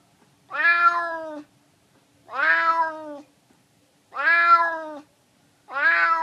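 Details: Four evenly spaced, rich, wavering meows from a hungry male stray cat asking to be fed, each close to a second long, with silence between them.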